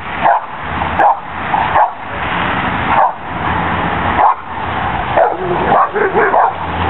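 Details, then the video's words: Cane Corsos playing on a spring pole: short gruff barks repeat roughly once a second in separate bursts, with a steady rushing background between them. "Cane corso's at play"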